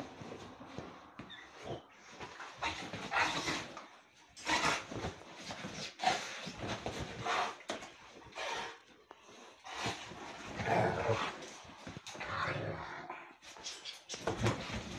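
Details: Rhodesian Ridgebacks wrestling indoors on a rainy day; continuous rough grumbling growls, snorts and huffs in irregular bursts, mixed with scuffling, thumping and movement noise.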